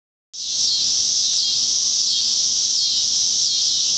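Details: At sunset in an Oklahoma neighborhood, swarms of cicadas make a deafening, loud, continuous, high-pitched buzzing drone that starts abruptly and holds without pause.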